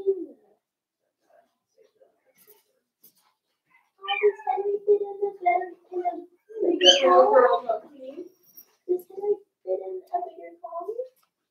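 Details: Four-week-old Cavalier King Charles Spaniel puppies from Daisy's litter in their indoor pen. After a quiet start they give a run of whimpers and yelps, peaking in a louder cluster of squeals midway, then shorter whines repeated to the end.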